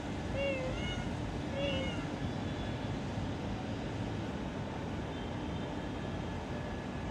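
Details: Unnamed cat in an office, two short meows close together near the start, then only a steady low hum of indoor background noise for the rest.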